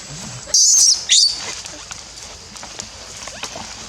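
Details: Baby Barbary macaque crying at Monkey Forest: two sharp, piercing high screams in quick succession, the first longer, then quiet with faint rustling and distant sounds.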